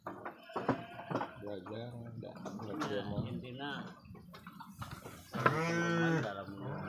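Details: In its pen, a large three-year-old purebred Garut sheep lets out a single drawn-out, quavering bleat near the end, following several seconds of people talking close by.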